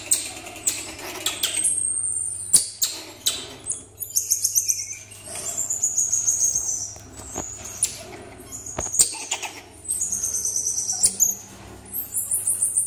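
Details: A healthy, active pair of pet common marmosets. They give very high, thin whistles, some drawn out and sliding gently downward, mixed with quick twittering chirps. Scattered knocks and clicks sound in the background.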